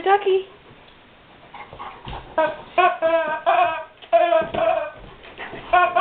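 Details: Guard dog whimpering over a squeaky toy inside a house: short, repeated high whines and yelps, a few wavering up and down, following one another closely with little pause between them.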